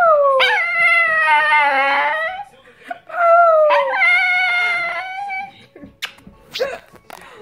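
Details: A Chihuahua acting like a wolf gives two high, wavering howls, each sliding down then holding a thin, tuneful note.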